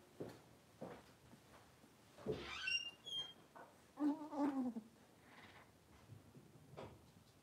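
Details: Blenheim Cavalier King Charles Spaniel puppies, a litter of five born at New Year, after moving into a bigger indoor pen: high squeaky yelps, then wavering whines in the middle seconds, with soft knocks and rustles between.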